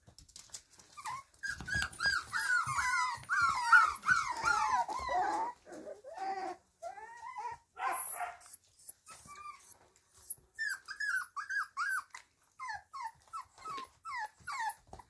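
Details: Caged Kromfohrländer puppies from Nalgards kennel whine together in a dense chorus of high, bending whimpers, then in shorter, quick repeated yelps that come several times a second, in an indoor room.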